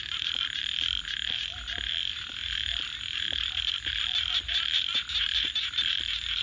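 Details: At night, frogs keep up a shrill, unbroken chorus with a rough pulsing texture, while a campfire crackles with frequent small ticks and snaps throughout.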